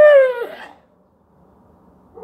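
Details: Weimaraner dog indoors on October 27, 2022, wanting to go out: one short, high whine that falls slightly in pitch and fades within half a second, followed by quiet and a faint voice.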